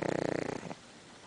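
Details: Pug asleep and twitching while it snores: a rapid, vibrating fluttery rasp with a buzzy harmonic tone lasting about 0.7 seconds, then fading into quiet room hush.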